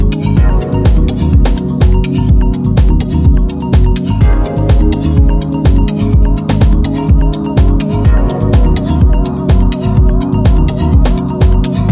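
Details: Loud electronic dance music with a fast, regular drum-machine beat and synth, and no animal sound.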